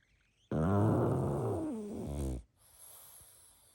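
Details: Pug sleeping indoors, snoring and snuffling: one long rough, rumbling snore lasting about two seconds, steady then fading, ending abruptly, followed by quiet breathing.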